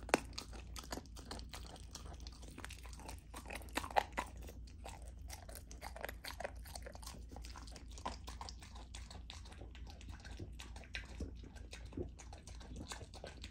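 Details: Lilo the Golden Retriever puppy, a female fed raw food, smashing through chicken drumstick, thigh and sockeye salmon: a long run of crisp crunches, bone-cracking snaps and chewing, with a few louder bites, over a faint steady hum.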